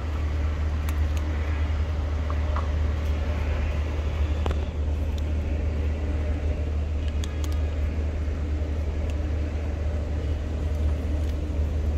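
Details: Low rumbling vehicle and engine noise fills an urban parking lot, with a few faint clicks and no clear animal voice.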